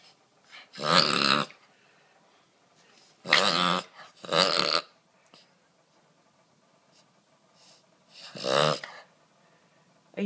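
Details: Boston Terrier named Gizmo reverse sneezing: four loud, harsh snorting bursts of about half a second each, noisy and broadband, spaced irregularly with quiet gaps between, the last one starting at the very end.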